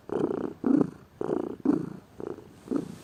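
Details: Pet cat lounging lazily and purring. Six low vibrating pulses follow each other closely, alternating louder and softer with each breath, and no other sounds intrude.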